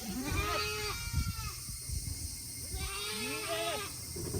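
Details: Farm goats in Himi, Japan, on a hot August day, eager to go back to their shed; two drawn-out, wavering bleats with a quieter falling call in between, over steady background hum and thumping noise.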